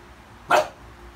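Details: Sheltie (Shetland sheepdog) at home, eager to greet its owner on her return and wanting to go out; one short, sharp bark lasting a fraction of a second, standing out against a quiet indoor background.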